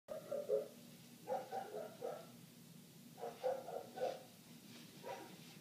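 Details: A neighbour's dog barking nonstop for eight minutes, heard from indoors through closed windows: muffled, mid-pitched barks come in quick clusters of two or three, separated by short pauses, over a low steady room hum.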